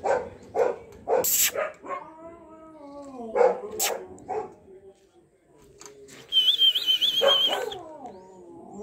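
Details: In Bangalore, a Golden Retriever gives short barks, then long wavering whines that slide up and down in pitch.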